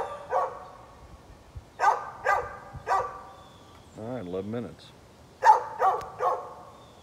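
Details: Neighbour's dog barking on 13 November 2020: sharp, broad barks in two spaced clusters of three, with a brief low human voice in the gap between them.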